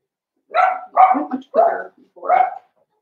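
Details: Seven-week-old Blenheim Cavalier King Charles Spaniel puppies from a five-pup litter, in a home puppy pen; four quick high yapping barks in a row, about half a second apart.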